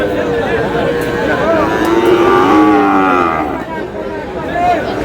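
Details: Lowing from Sahiwal cattle amid a crowded market in Comilla, Bangladesh, on 31 March 2026, where a young Sahiwal bull calf is on offer; a long, wavering moo swells in the middle, mixed with buyers' voices and background chatter.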